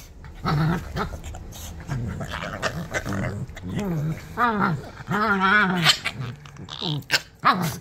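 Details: Rough-housing Shih Tzu puppies, Mika a Shih Tzu and Kona a Shih Tzu–Pomeranian cross, keep up a string of short, wavering growls and whiny, rising-and-falling vocal bursts, several per second at times, amid rustling scuffles.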